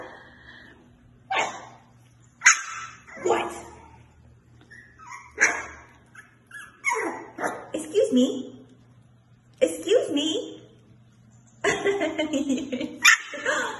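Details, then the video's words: Havanese puppies playing, giving short high yips and small barks in scattered bursts of one to two seconds, with a person talking to them in between. "Amazing Fluffy Havanese Puppies at Play!"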